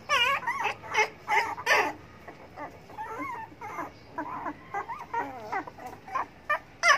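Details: Hungry pet dogs beg for food with rapid, overlapping whimpers: thin, bending whines repeated in quick irregular bursts, loudest near the start and end, with fainter whining in between.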